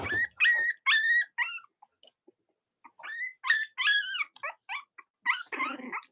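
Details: Young Cavalier King Charles Spaniel puppies of Robin and Myra, indoors: a run of high, whistled whines and squeals with bent, rising-then-falling pitch, about two per second, broken by short pauses and ending in a rougher, buzzy cry.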